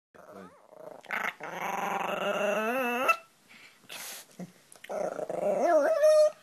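A Pomeranian puppy makes odd wavering growls and whining yips, rising and falling in pitch.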